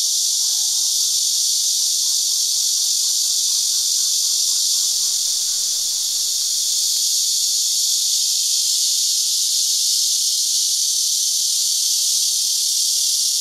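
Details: Numerous cicadas singing in unison from the trees of a Tainan chicken farm and orchard in Houbi District during their season, filmed on a digital camera; an even, piercing, buzzing drone fills the air, with faint low chirps early on.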